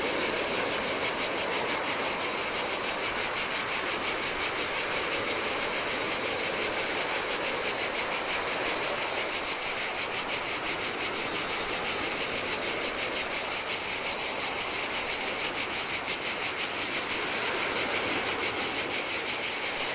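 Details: Heat-loving cicadas call by the Adriatic sea on a lonely Greek island beach, an unbroken high-pitched whirring drone with a faint fast flutter, backed by steady ocean waves.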